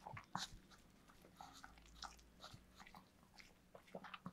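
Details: Pet dog eating cake indoors, recorded up close: quiet, rapid crunchy bites and sticky licking clicks, scattered irregularly through the clip over a low steady hum.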